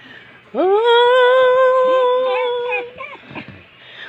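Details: Pet dog in a small room answering its owner with a long, steady, tonal howl that rises at the start, holds evenly for over two seconds, then wavers and fades into softer whines.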